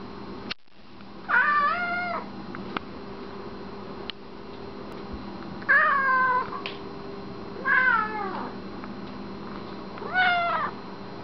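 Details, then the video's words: Reg, an extremely talkative cat, meowing indoors: four drawn-out meows, each about a second long with a wavering, slightly falling pitch, spaced two to three seconds apart, with a few faint knocks between. "Extremely talkative cat"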